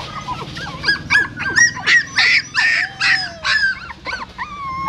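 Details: At a pagoda in Siem Reap, a female dog moves her newborn puppies in her mouth away from the stupa where she gave birth; piercing, choppy yelps rise and fall, ending in a few drawn-out whines.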